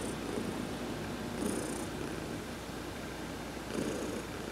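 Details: Sunbathing under a massage on November 19, 2020, adopted cat Heidi gives a low, even purr that surges gently twice, with light rustling hisses in the background.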